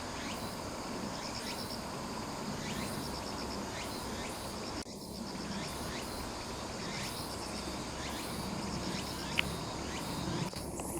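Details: Cicadas heard outdoors from about 170 m elevation at Sakurazawa, Yorii, Saitama, Japan, on 15 September 2025: a steady shrill drone with repeated rising sweeps roughly every second and pulsed high chirps, over constant background hum.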